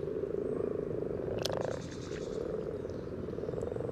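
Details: Chorus of common frogs calling at a spawning site beside the yellow trail in Sunnersta, Uppsala, Sweden, recorded with a parabolic microphone just above the water: a continuous low purring, grunting drone, with a brief sharp splash or click midway.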